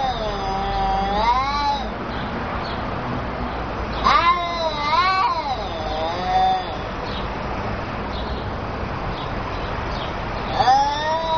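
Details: A pair of angry house cats communicate with long, undulating yowls that rise and dip in pitch, bursts near one, four and five seconds, quieter moaning between, and a final sharp rising wail near ten and a half seconds.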